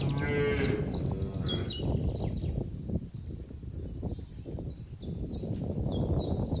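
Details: Herd of cattle gathered in a green pasture enjoying the grass; a strong, resonant moo begins the recording, then trails into low grumbling, while bright bird chirps repeat overhead.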